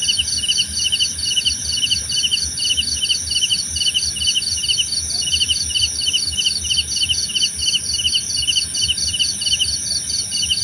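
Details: Chorus of crickets: two interleaved series of pulsed chirps, one lower and one higher, repeated steadily with brief gaps, over a continuous high-pitched insect drone.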